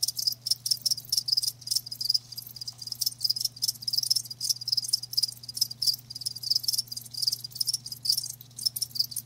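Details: Live crickets chirping in a dense, continuous chorus of rapid high-pitched pulses, the trills overlapping with brief dips, over a faint steady low hum.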